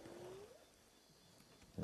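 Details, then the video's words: At night, amid a large zebra herd near a suspected hyena den, a distant spotted hyena gives a single smooth, rising whoop that swoops upward and fades. "In the background, a hyena is calling."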